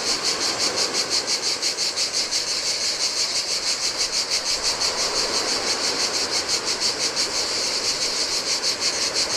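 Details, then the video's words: On a deserted Greek island beach by the Adriatic, cicadas sing in the heat, a shrill, rhythmic buzz throbbing roughly three pulses each second, with gentle waves splashing underneath. "Cicadas by the Sea - Ocean Waves & Cicada Sounds"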